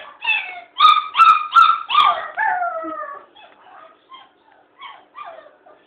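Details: Black Labrador Retriever puppy crying at the door, giving a quick run of sharp yelping whines that fall into drawn-out descending whimpers, then fading to softer, short broken cries.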